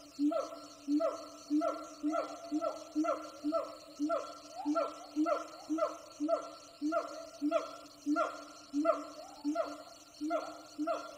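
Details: Wild siamang gibbon troops heard from a distance on jungle hikes give a steady series of loud, hoarse barking hoots, nearly two every second, eerily human-sounding.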